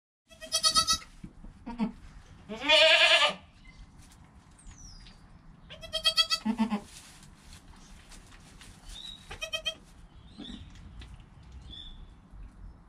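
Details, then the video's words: Newborn goat kid within an hour of birth, its mother nearby: several short bleats with quivering harmonics, then a loud, strained, harsh cry, then more brief nasal bleats spread across the recording, with quiet shuffling between. "Baby Goat - One Hour Sound and Video"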